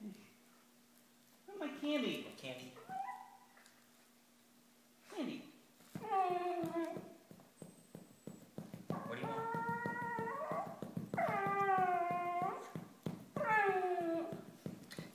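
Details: Pet dachshund indoors in a small room 'talking' with long, arched, whiny howl-like moans, drawn out and rising then falling, begging for candy while its owners repeatedly ask what it wants.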